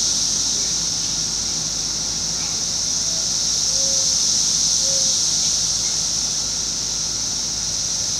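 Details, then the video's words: Brood X 17-year periodical cicadas emerging on June 5, 2021, in a residential area of Fairfield, Ohio, backing onto woods; constant singing forms an unbroken, high, hissing drone that holds steady throughout, with a few faint squeaks underneath. "17 Yr Cicada Brood X"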